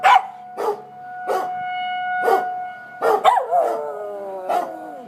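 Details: Pet dog freaking out and barking at tornado sirens in Coon Rapids; sharp barks about every half second to one second, with a drawn-out whine-like bark, over a steady siren tone.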